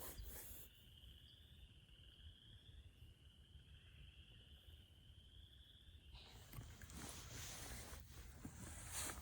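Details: In early spring at a vernal pool in a New York State swamp, tiny, shy, gray, dark-striped chorus frogs call in the background, a high rising creak like a finger run along a comb.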